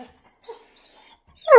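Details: A Bluetick Coonhound female, teased with her leash to make her howl, breaks into a loud, rich howl after a quiet pause, wanting to go for a walk.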